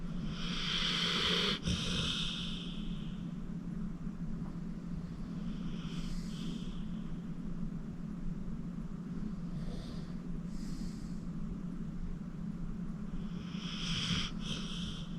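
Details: A senior rescue pit bull named Acorn, 14 years old, sound asleep. Soft airy snores come at irregular intervals of several seconds, some faint, over a constant low background drone.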